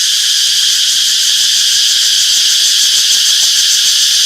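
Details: Many cicadas fill a peaceful summer forest with a bright, steady buzzing wall of sound, softly throbbing in quick repeated pulses, evenly loud from start to end.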